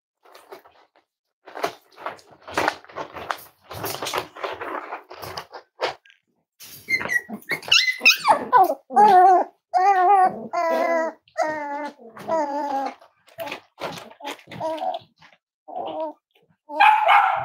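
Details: Cavalier King Charles Spaniel puppies, five weeks old, from Myra and Remy's litter at Red Barn Cavaliers: scuffling and soft noises give way to a run of wavering, quavering whines and yelps, repeated about once a second, indoors.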